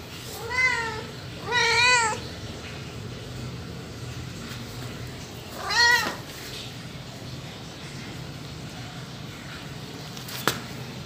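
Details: Domestic cat meowing indoors: three clear arched meows, two close together in the first two seconds and a third near six seconds, each rising then falling, followed by quiet room tone and a brief click.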